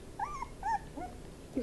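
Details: Miniature Pinscher puppies crying indoors: three short, high, nasal whines that rise and fall, each under a quarter second, then a soft squeak at the end.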